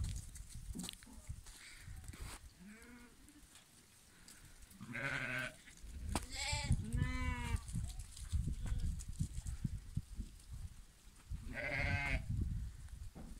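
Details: Lambs giving several bleats of varied loudness, some short and wavering, one louder drawn-out call near the middle, against heavy low-frequency rumble and knocking sounds.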